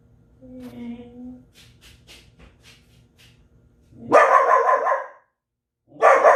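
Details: Belgian Malinois barking: a brief whine and soft rustling sounds, then a long harsh, loud bark burst and the start of another.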